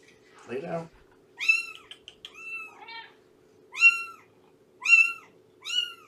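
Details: High, arched meows rise and fall in short bursts from cats in a foster home for rescued mother Shelby and her nursing kittens, following a brief human voice at the start over a low constant hum.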